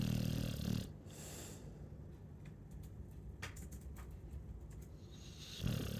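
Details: Sleeping Chow Chow gives a low, rough snore at the start and another at the end, separated by a long quiet stretch of soft breathing and small clicks.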